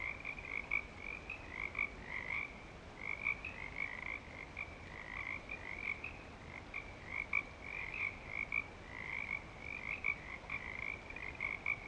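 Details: Frogs at Clearwater Commons calling in breeding season: a sustained chorus of rapid high trills, individual bursts swelling roughly every second or so, layered over a quieter lower droning tone and faint low rumble.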